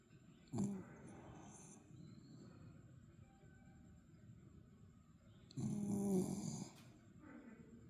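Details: Berry the dog snoring, recorded February 23, 2026: two low, rasping snore breaths, a short one near the start and a longer, louder rumbling one about five seconds later, with quiet breathing between.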